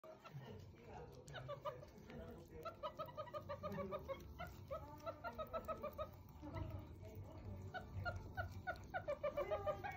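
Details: Baby meerkat, newly brought home, drinking milk for the first time; rapid trains of short, pulsed chirping squeaks repeated about three times a second, with brief pauses between bursts and faint background murmur.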